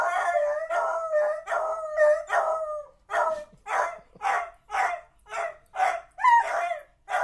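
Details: Two beagles, easily set off howling, howl in a rhythmic series of bawling, wavering cries; beagle.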